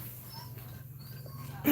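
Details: Cashmere, a Cane Corso female in labour indoors: faint, thin, high whining tones come in short separate bits over a steady low hum, and a sudden loud knock sounds at the end.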